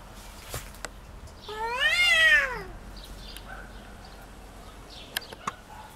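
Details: Domestic cat in a territorial fight: a single loud wailing yowl rising then falling over about a second and a half, followed by quiet background with a few sharp clicks.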